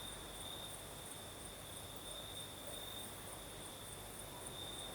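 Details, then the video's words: Southern Crimean night with crickets singing in a light night breeze; a constant thin, high trill runs throughout, slightly throbbing, above a low even rustle. "Сверчки поют"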